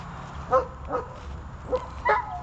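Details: Dog barking during the early stage of training to hold a decoy: four short, sharp barks, spaced roughly half a second apart with one longer gap, over a low steady background rumble.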